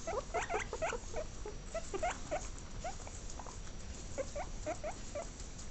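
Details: Repeated short squeaky calls from a guinea pig, brief rising notes in quick irregular bursts with small pauses, over steady low background noise.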